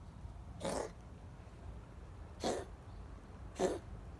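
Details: Gray female cat, feeling sick, making puppy-like sounds indoors: three brief, soft, breathy yelps spaced unevenly over about four seconds, fainter than the room's low hum.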